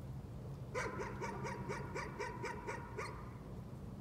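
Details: Rapid nuisance barking by a dog, about ten short sharp barks fired off in quick regular succession over two seconds before stopping, with a low rumbling hum beneath.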